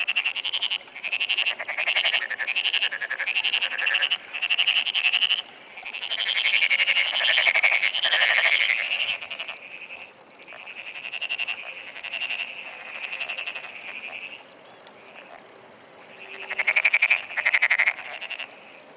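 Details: A frog calling in early morning in June, a long run of rattling, high-pitched croaks, each burst made of quick pulses, in uneven series with short gaps, ending in a final flurry.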